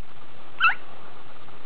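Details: A pet female squirrel gives a single quick, high alarm chirp after a passing crop-duster plane scares her.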